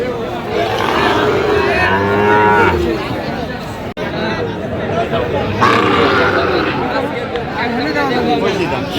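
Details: Pair of Sahiwal bull calves being priced at Aftabganj cattle market on 29 November 2025. A rough, wavering moo sounds in the first seconds, then crowd chatter and speech take over.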